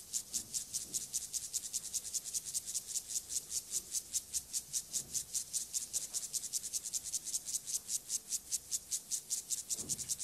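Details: Courtship stridulation of a male club-legged grasshopper, Gomphocerus sibiricus, courting a female: a long train of evenly spaced, sharp hissing strokes, roughly 150 per minute, steady and unbroken, with occasional soft low thumps.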